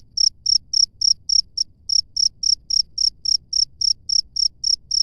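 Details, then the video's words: Wild cricket calling outdoors: short, bright, high-pitched chirps repeated evenly about three or four times a second, one brief skipped beat midway, over a faint low background rumble. "SUARA JANGKRIK LANGSUNG DARI ALAM BEBAS"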